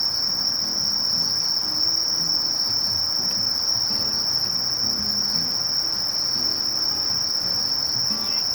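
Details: Conocephalus melaenus, the sasakiri katydid, singing an unbroken, steady, very high-pitched shrill buzz that holds one even tone throughout, with only a faint low rumble in the background.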